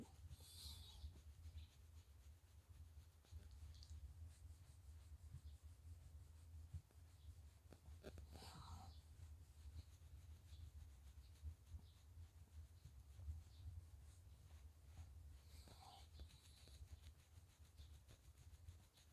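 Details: Friendly pet Shiba Inu Chichi, kept in Kanahama, Aomori City, Japan, sneezes three times after neck petting releases masses of shedding-season fur: short breathy bursts at the start, middle and near the end, over a steady low rumble.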